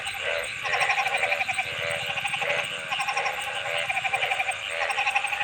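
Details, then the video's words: Frogs in full chorus give short pulsed, bleating croaks in quick succession, many voices overlapping over a continuous high-pitched background whine. "Frog Sounds"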